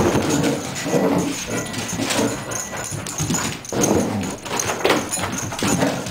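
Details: A happy dog named Milli indoors, giving a steady run of excited whimpers and high yipping whines in uneven bursts about every half second, with brief quieter gaps and a faint trace of human speech in the background.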